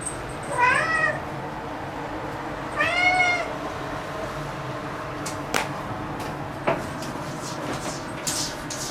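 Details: Excited black pet cat making a fuss indoors after discovering a bug. Two short wavering meows come close together early on, followed by several sharp clicks and taps with no more calling.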